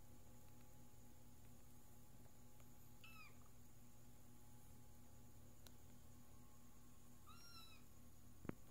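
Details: Little orange kitten, an adopted stray, indoors, making two brief high meows about four seconds apart over a quiet, steady hum, with a sharp knock right at the end.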